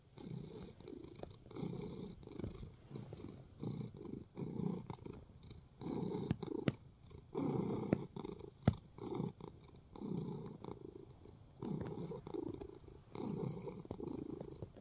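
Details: Content house cat kneading indoors, purring steadily; a low, throaty rumble pulses in breath-length waves with soft clicks and rustles from the kneading paws between them.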